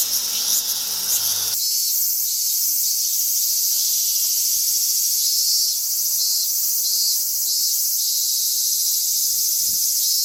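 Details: Summer cicada chorus in suburban Tokyo, Japan, recorded in August: a loud, steady, high-pitched buzzing drone with slight wavering pulses throughout, the low background dropping away after the first second and a half.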